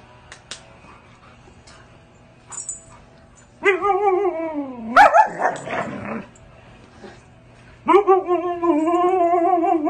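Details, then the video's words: A Siberian husky gives long, wavering howls that bend up and down in pitch, with a short burst of harsher yelping between them. "husky have never lost a arguing，never won a fight"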